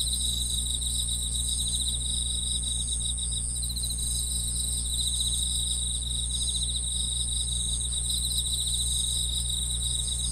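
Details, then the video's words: Continuous insect chirping: several callers trill in rapid pulses at high pitch, layered and unbroken, with a steady low rumble underneath. "풀벌레 소리"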